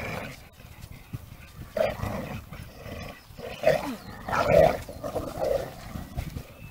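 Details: Two pit bulls of 26 kg and 28 kg locked in a tug of war, giving short harsh rasping growl bursts at irregular intervals, loudest near the fourth and fifth seconds, over rustling background noise.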